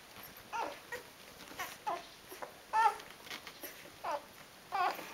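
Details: Four-day-old Rhodesian Ridgeback puppies of a litter indoors: high thin squeaks and whines, short wavering cries spaced about every second or two, over steady background hiss.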